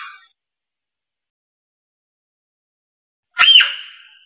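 A Diana monkey gives one loud, harsh, squealing call that rises and falls in under a second, after nearly four seconds of silence.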